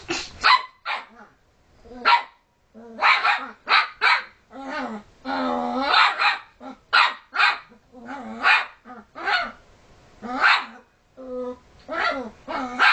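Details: Excitable puppy harassing dogs trying to sleep produces a dense stream of yappy barks mixed with growling, whining moans, the calls tumbling over each other nearly continuously throughout.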